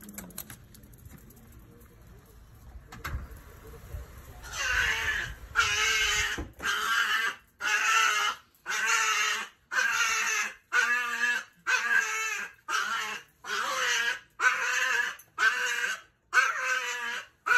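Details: Pet chihuahua screaming as its owner gets home: after a few seconds of quiet room sound, a run of loud, harsh, high-pitched screams repeated about once per second, each held roughly half a second with brief gaps.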